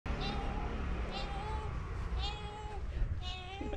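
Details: A talkative pet cat meowing non stop, four drawn-out meows about one second apart, each a steady tone bending down at the end, over a person speaking softly and continuous room noise.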